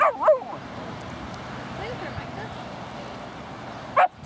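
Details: Young dogs playing in a Laguna Beach dog park, seven-month-old Margo and a four-month-old Husky puppy; sharp rising-falling yelps open the recording, quiet park ambience follows, and one more bright yip closes it.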